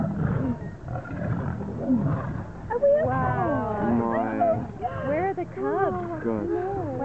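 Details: Two wild male lions fighting to become king: deep rough growling gives way to loud, wavering, drawn-out snarls and moans that rise and fall, with harsh bursts between them.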